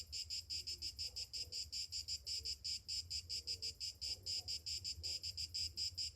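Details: Cicadas singing on a summer morning: a shrill, high buzzing chorus that throbs in steady pulses, roughly two to three per second, over a faint low hum.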